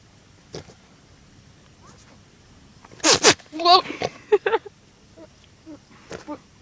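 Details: Goat making funny noises: a sharp sneezing snort, then a short quavering bleat and a string of brief nasal grunts, followed by a few faint sounds after a near-silent start.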